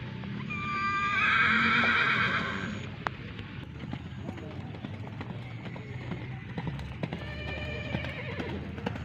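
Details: Horse at Gelanggang H.M Hasan Gayo arena in Takengon, Aceh Tengah, Indonesia, ahead of the 2023 traditional Gayo horse race; one loud, shaky whinny lasts about two seconds, then fades into crowd chatter, hoof clatter and background music.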